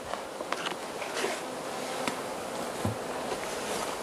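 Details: Hive of Carniolan honey bees fed in March 2017 in Southern Finland at +3 C outside, Mountain Camp method; a soft, even droning hum fills the clip, with a few light taps and scrapes.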